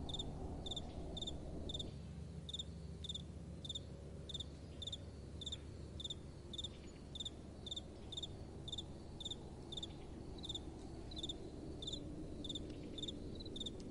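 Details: Crickets cricketing through the night, with sharp high chirps repeated about twice a second, slightly uneven in spacing. A soft wind gusts low at first, then settles into a quieter hush.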